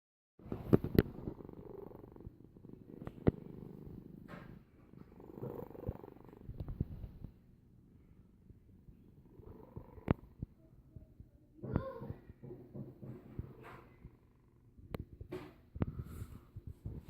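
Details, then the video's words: Sleeping domestic cat snoring: low rumbling breaths in a few broad bursts with quiet gaps, plus scattered faint clicks and rustles. "Kitty is snoring"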